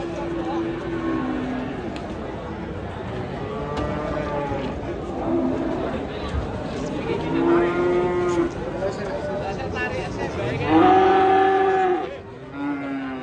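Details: Agitated, raging cattle watched by a crowd of local residents give a series of loud, drawn-out moos, some rising then falling. The last call is the strongest. Crowd chatter and voices fill the background.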